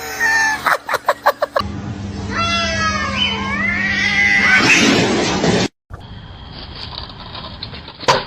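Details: A domestic cat lets out a loud, strained meow lasting about two seconds, wavering, then rising and falling. A few sharp taps come before it, and a quieter stretch of room noise follows.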